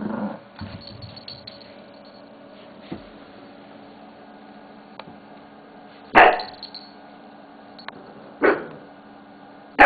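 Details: Shih Tzu dog playing with a mouse pad indoors; mostly quiet rustling and soft growl at the start, then two sharp isolated barks a couple of seconds apart and another at the very end.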